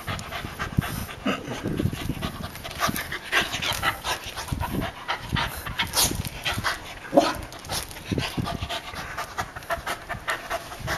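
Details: Eve, a female dog of unknown breed found as a stray, pants near a coconut crab in a yard on Guam: rapid, breathy, irregular bursts of air continue throughout with a brief tonal note midway.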